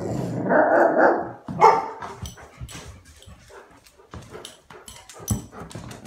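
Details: Playful Golden Retrievers: a sustained, throaty growling grumble fills the opening second and a half, then one short sharp bark, followed by quieter shuffling and clicking movement sounds.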